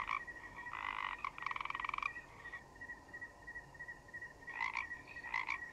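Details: Forest frogs croaking in a quiet forest setting: rapid pulsed, rattling croak bursts in quick succession early on, then two short croaks near the end, over a steady high continuous tone like cricket chirping.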